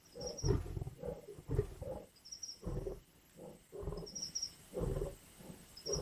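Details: Lions feeding at a carcass in the Indian bush, growling, snarling and biting. Deep rumbling growls come in bursts about once a second, with an insect's high buzzy trill repeating in the background.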